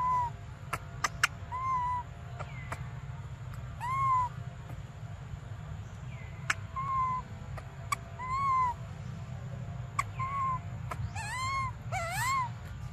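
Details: Briar, a baby monkey, crying for milk in a standoff: a long run of short, mournful arched wails roughly every second or two, growing busier and more tremulous toward the end, with scattered clicks and a constant low hum.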